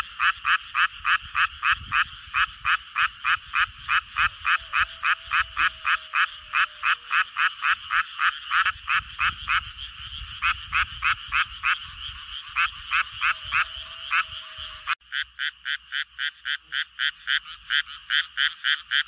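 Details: Japanese tree frog giving its mating call: a long train of rapid, evenly spaced raspy croaks, about three per second, steady throughout, with a brief cut near the end before the pulses resume; faint low background rumble.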